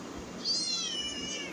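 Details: A single thin, high-pitched cat mew that rises briefly and then slides slowly downward over a second, heard against quiet indoor background hiss.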